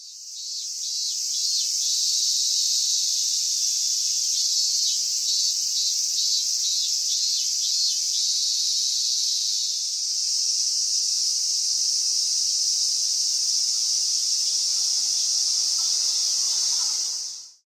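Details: A cicada's loud, steady buzzing drone at summer's end, 19 August 2020, high and continuous, fills the whole stretch without pause.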